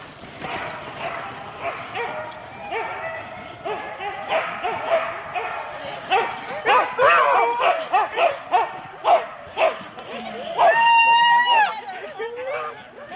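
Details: Four-dog Husky teams at Rendlesham in January 2016 during the start, a chorus of rapid barks building in loudness, then a long high whining yelp near the end.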